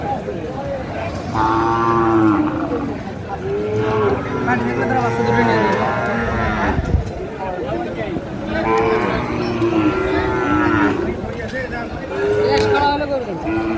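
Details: Sahiwal calves and bulls at a busy Tangail market in early March 2025; repeated drawn-out moos in bursts around two, five and nine seconds, with buyers talking continuously in the background.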